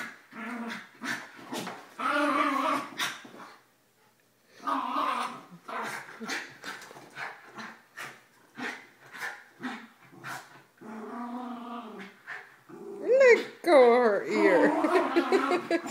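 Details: Three pet dogs, an eleven-year-old Mini Schnauzer, a nine-year-old female Basset and a two-year-old Yorkie, playing during their morning routine. Bursts of throaty, groaning growls and grumbles with a short pause, ending in wavering, high whines that rise and fall.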